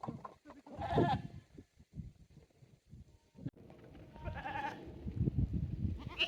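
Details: Goats at a handmade goat farm in Japan on 9 May 2024, exploring a new playground with a narrow aerial walkway, balance beam and slope; a wavering bleat near the start and another later, over thuds, rustling and handling noise.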